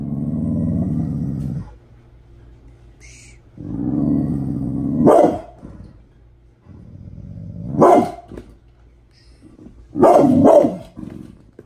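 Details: Angry Pit Bull, described as mad in the morning: low rumbling growls lasting over a second each, then three sharp, harsh barks spaced about two to three seconds apart.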